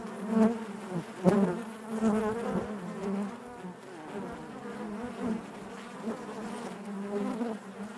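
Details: Inside a beehive, honey bees produce a constant droning buzz, low and even, broken by several short louder bursts as bees move near, the strongest just past one second.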